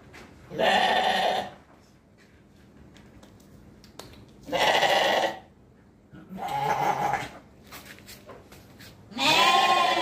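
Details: Sheep bleating: four loud, wavering, harmonic-rich bleats about a second each, spaced roughly every two to three seconds, the last one higher and more strained, with quiet background between calls.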